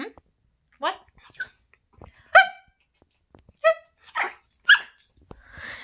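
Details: A male chiweenie, a pet dog, expressing his feelings as his owner talks to him: several separate high, rising-and-falling harmonic barks and whines spaced about a second apart, with faint background sounds.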